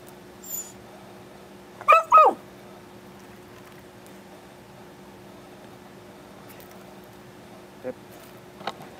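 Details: An excited Beagle doing tricks such as sit and paw on command; two short high whining yelps close together, a few faint clicks, a person giving commands in Japanese.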